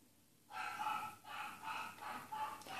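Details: Bichon Frise Daphne, recorded 05.07.2016 during a training session with spoken Russian commands, gives four short, tonal yelping barks with strong harmonics, spaced about half a second apart after a quiet start.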